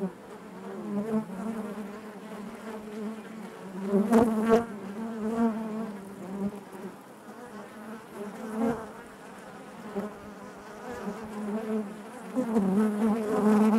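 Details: Inside a honey bee hive, a continuous humming drone of many wings fills the air, rising and falling in waves, with a few sharper close buzzes and light clicks cutting through the steady murmur.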